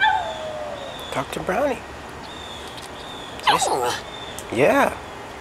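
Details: A female dog calls for her dog friend down the street, urged on by her owner, giving three loud wavering, arched yowls with rich harmonics, spaced about one to two seconds apart. A thin, faint falling tone is heard early on.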